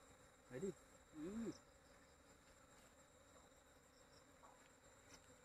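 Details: Village honeybee making two short low hums in quick succession, the second longer and wavering, over a steady faint hiss of background noise.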